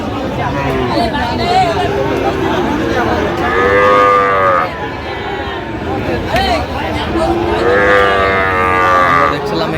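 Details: Sahiwal cattle, with a bull calf being viewed, at Nawabganj in Dinajpur, Bangladesh, on 23 August 2025: two drawn-out, slightly falling moos about four seconds apart over steady crowd chatter and voices.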